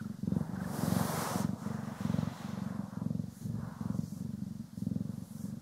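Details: Domestic cats Poki and Kiwi purring while being groomed and brushed, recorded in stereo: a steady low rumbling purr that swells and fades in breathing cycles about every half second, with a brief rough brushing swish early on.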